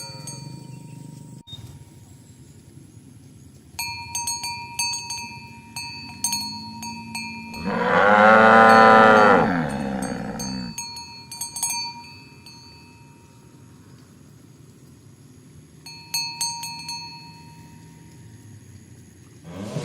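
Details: Morning, a herd of tame cows walking along village roads to their pen: one long, harmonic-rich moo swells and fades over about two seconds, while cowbells ring in scattered bursts and a low background hum continues.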